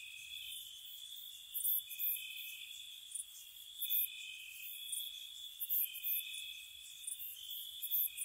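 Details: Spring night crickets near a cottage, a continuous high-pitched trill in two stacked tones, overlaid by sharp high chirp bursts recurring every second or two.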